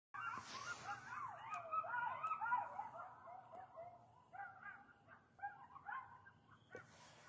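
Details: Coyotes heard outside at night: a chorus of overlapping, sliding howls that waver up and down in pitch, breaking into shorter high yips and yelps that fade toward the end.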